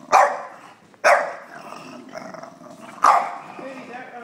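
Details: A 3-year-old female English Bulldog, who dislikes being filmed, gives sharp, gruff barks in protest, with quieter grumbling between them.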